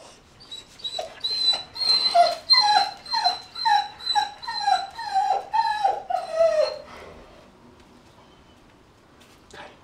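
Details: Puppies crying: a steady series of loud, falling whimpers about two per second with a thin high overtone, fading after seven seconds into near silence.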